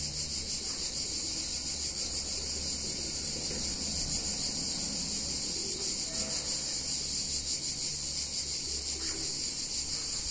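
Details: Cicadas singing on a hot summer day in a picturesque Italian town: a dense, continuous high shrill buzz with a fast pulsing shimmer, a steady low hum underneath.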